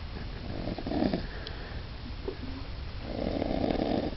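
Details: Bob the dog snoring indoors: two soft, rough, rumbling snores, about two seconds apart, each lasting under a second, with quiet room noise in between.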